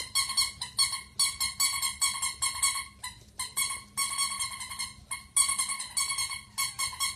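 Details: Small Pomeranian in a room letting out quick, shrill, repeated whining yelps in clustered bursts, with short silent gaps and a faint low background hum.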